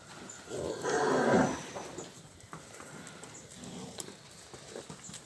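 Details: Nelore cattle herd of calved and pregnant cows in the Ribeirão Preto region of São Paulo, Brazil; a short loud low moo near the start, then a fainter call and scattered knocks.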